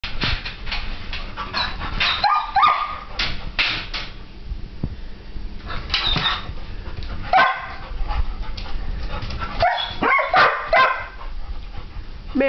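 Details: Young German Shepherd named Rex, described as nervous, giving a string of short, sharp barks and yelps in irregular bursts, some with whiny tonal edges, over steady background noise.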